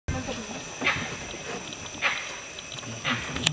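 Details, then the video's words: Deer giving alarm calls at Kabini after hearing a leopard and a tiger fighting nearby; four short, sharp, bark-like calls spaced roughly a second apart over steady background hiss. "Deer's alarm call after hearing leopard and Tiger fighting at the background @ Kabini."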